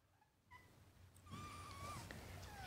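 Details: Kittens nursing from their mother, a young black and white tuxedo rescue cat in Huntsville, Alabama. Thin, high mews slide up and down in quick succession after a quiet start, with soft rustling below.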